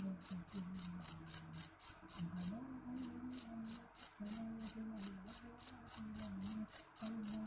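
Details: A loud jangkrik jeliteng, a cricket, sings a rapid train of sharp, high chirps at roughly three and a half per second, with one short break and a soft low hum behind.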